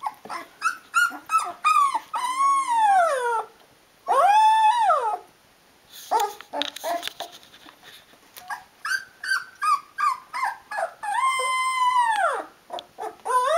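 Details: Rhodesian Ridgeback litter at 16 days old, eyes open, crying for their mother to nurse them: bursts of quick yips alternate with long drawn rising-and-falling wailing whines, a brief quiet gap midway.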